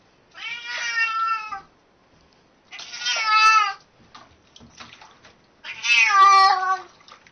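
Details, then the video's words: Talking domestic cat repeating loud, harmonic meows three times, roughly every two and a half seconds, each about a second long and slightly falling, with faint clicks between. "Funny Talking Cats"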